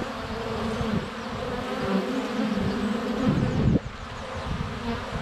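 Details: Swarm of honey bees flying around the hive entrance in February sunshine, GoPro Hero 7 Black under a foot away; continuous low humming buzz with wavering drone tones, swelling near the end as a bee passes close.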